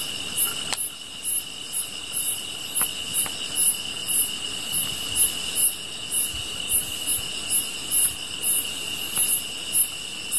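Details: Grass insects by a fire: a shrill unbroken trill underlies quick, irregular very high chirps, roughly four a second. Occasional sharp crackles come from the burning fire.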